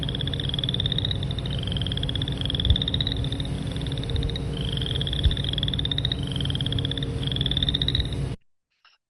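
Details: Boreal chorus frog giving rising, rasping trills like a fingernail run over a comb's teeth, each about a second long and repeated roughly every one to two seconds, with a low steady hum underneath.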